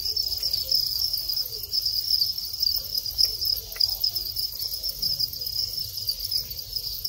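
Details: Thai crickets kept for breeding, males chirping as mating begins after the last moult; steady bright high trilling chorus with uneven pulsing loudness and a few soft clicks.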